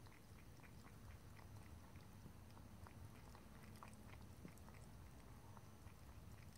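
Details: A cat lapping and licking water. Quick, light tongue clicks repeat irregularly, a few per second, above a constant low background hum.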